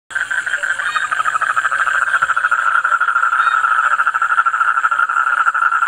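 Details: Toad calling loudly, a long steady trill of rapid pulses at a mid pitch, running without pause through the whole recording, with faint higher buzzing above.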